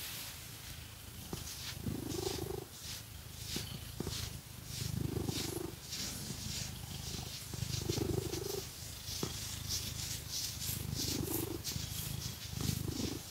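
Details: Domestic cat purring while scratched with fake nails: a rough low rumble that swells with each rising inhale about every three seconds, accompanied by steady scratching and rustling.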